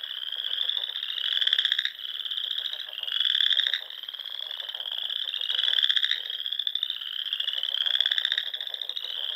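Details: Frogs singing in spring among the small lakes and ponds of the Sandhills dunes, Nebraska, at dusk; a dense chorus of high, pulsed, slightly rising trills overlapping continuously, swelling in louder bursts about every two seconds.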